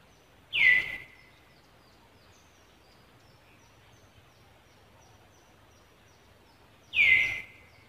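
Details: Monkey named Angela in Cambodia, reacting on seeing another monkey near the young monkey Lucie: two loud, shrill squeals that slide downward in pitch, about six seconds apart, over a quiet, steady background.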